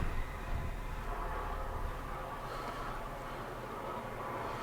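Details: Low, steady rumble of machinery or a passing vehicle with faint indistinct voices, and no animal sound.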